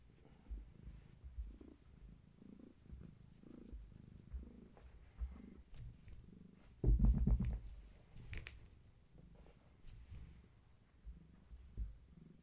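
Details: Close, deep purr of a domestic cat among Gaia's kittens during evening play and leg massages indoors; steady low throbbing pulses with a brief loud rustling thump midway.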